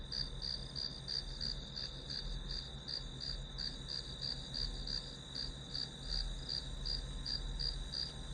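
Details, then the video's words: Grass insects providing white noise for a study session; continuous high pulsed chirping near three beats per second, layered on a steady whine and a low background rumble. "풀벌레 소리"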